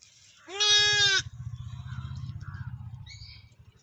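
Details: One-day-old newborn lamb in a village giving a single high, harmonic-rich bleat lasting under a second, followed by a steady low rumble and faint distant sounds.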